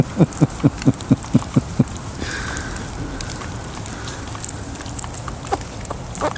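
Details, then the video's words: Wild pet squirrel Nibbler, out feeding during a rain shower, gives a quick series of eight short falling squeaks at the start, then falls silent as rain patters and faint rustling continues. "Wild pet squirrel making squeaking noises"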